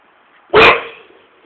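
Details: Irish Staffordshire Bull Terrier guarding and patrolling its yard, letting out a single short, loud bark that fades with echo, with a brief sharp click at its start.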